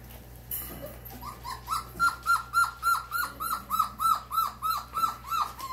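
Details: Four-week-old German Shorthaired Pointer puppies, one crying in a rapid series of short, falling whimpers, about three each second, steady and insistent after a brief rustle at the start.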